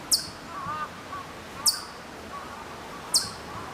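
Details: Hokkaido chipmunk, recorded at a distance in Maruyama, Sapporo, Hokkaido, September 2014: three short, piercing high chips about one and a half seconds apart against quiet outdoor background.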